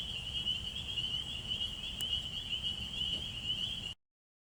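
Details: A field recording at wetlands in Alabama during frog season: many spring peepers call at once, their high, clear peeps blending into an unbroken, shimmering ring over a low rumble, stopping abruptly near the end.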